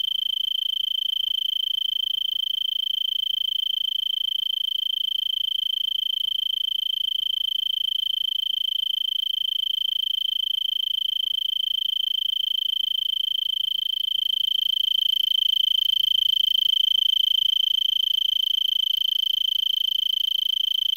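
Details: Arizona tree cricket in a brittlebush, Vail, Arizona, 3300 ft, December 26 near 5 PM and 70 °F, having sung since well before sunset: an even, piercing pulsed trill held throughout, swelling slightly louder toward the end.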